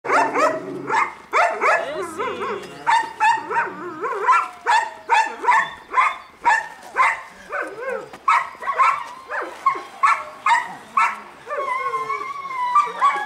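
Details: Four-month-old female Belgian Malinois puppy starting bite training on a human helper, barking in a rapid, fairly regular string of sharp, loud barks about twice a second, with brief whines and human voices between them.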